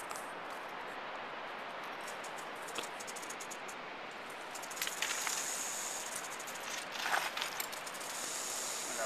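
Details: Angry, defensive wild rattlesnake met in Big Cottonwood Canyon, rattling: a continuous dry, hissing buzz that grows louder and more broken toward the end, over outdoor background noise.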